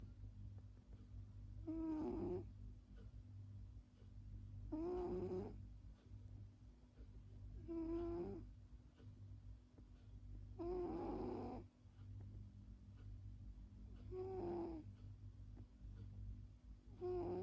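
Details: Sleeping cat snoring, slow rasping breaths repeated about every three seconds, each with a tonal buzzy note, over a steady low hum in a quiet room.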